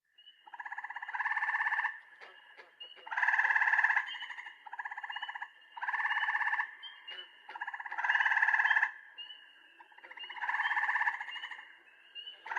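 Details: Eastern gray treefrog (Hyla versicolor), Texas: male advertising call to females near breeding ponds, loud musical fluttering, almost birdlike trills about a second long, repeated every couple of seconds.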